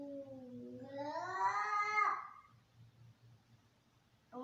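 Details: Angry domestic cats fighting: one long, harmonically rich yowl, low and wavering at first, then rising and swelling before breaking off after about two and a half seconds; another cry begins just at the end.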